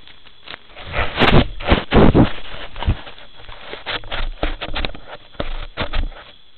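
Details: White-lipped peccary, the largest Brazilian peccary: loud, rough broadband bursts from about one to two and a half seconds, then a loose string of sharp clacks and low grunting noises over a steady background hiss.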